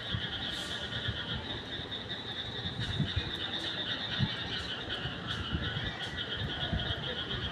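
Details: Frog night chorus, described as beautiful: a dense mass of steady, overlapping trilling croaks pulsing together without pause.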